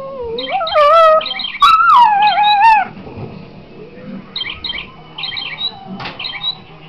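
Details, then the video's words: Patterdale × Border terrier dog singing: two short, wavering howls in the first three seconds, then the dog falls quiet and only television speech continues in the room. "Singing Dog"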